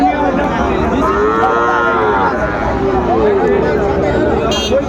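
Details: Sahiwal bull calves, eight to nine months old, for sale at Ambari market in Dinajpur, Bangladesh, 31 January 2025; one long arching moo swells mid-clip, then a shorter lowing follows, beneath constant buyers' bargaining and market hubbub.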